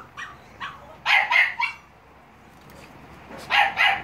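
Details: Shrill, squeaky barks from Staffordshire Bull Terrier puppies, filmed 30.07.2017: three close yelps, a quiet gap with background hum, then a final double yelp.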